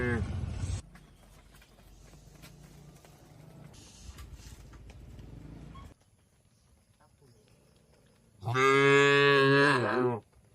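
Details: Tame cattle grazing on grass amid an Indonesian oil palm plantation; a loud, drawn-out harmonic moo lasting about two seconds near the end, preceded by the tail of another moo and soft rustling and munching.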